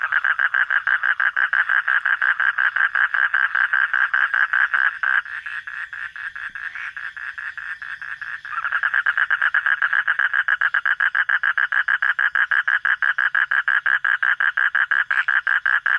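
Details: Frog heard at night with a rapid, continuous pulsed rattle, a quieter pause of about three seconds midway, then the fast buzzy train resumes at full strength.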